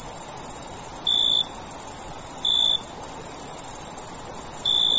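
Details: Cricket sound at night: a steady, very high trill fills the background, with three lower brief chirps spaced about one and a half seconds apart.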